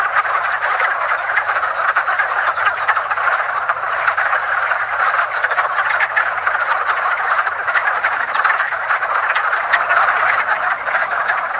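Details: Wood frogs (Rana sylvatica) in their early spring mating ritual at a woodland pond, a dense continuous chorus of rapid clucking, duck-like croaks overlapping into a steady rattling roar with no pauses.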